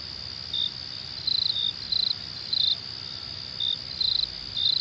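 A cricket chirps in short, high, pulsed bursts over a steady ringing insect background.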